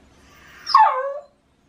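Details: In the autumn love season, a Shiba Inu cries at dawn to demand its walk. A single brief harmonic yelp drops from a bright onset into a lower sustained tone and fades within about half a second.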